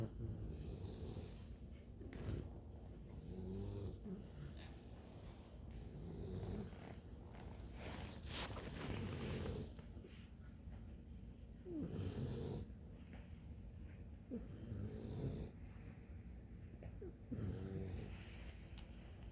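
Bluetick Coonhound puppies snoring with low, rumbling breaths repeated every few seconds.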